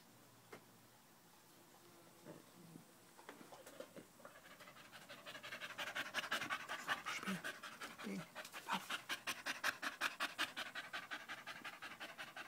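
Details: Loud panting of a dog sticking close to a person's leg, 5 August 2013, a Malinois puppy also present; quiet rustles at first, then rapid, steady breathy pants building up over the second half.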